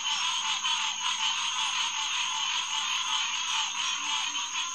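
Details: Green tree frog chorus at SMNWR Headquarters Pond, June night 2021: a thick, rapid overlapping stream of nasal calls from many frogs, almost continuous, with a low steady drone underneath.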